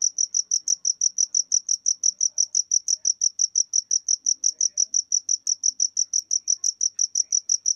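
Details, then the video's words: Cricket chirping in a fast, steady series of high, bright pulses, about four to five per second, with nothing else heard. "Jangkrik (Suara Jangkrik)"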